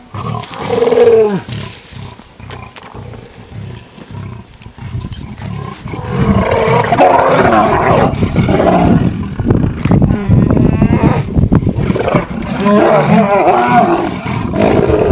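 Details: Lions fighting over a buffalo kill: harsh, snarling roars and growls, first in short bursts, then a long, loud, continuous stretch of overlapping rasping snarls.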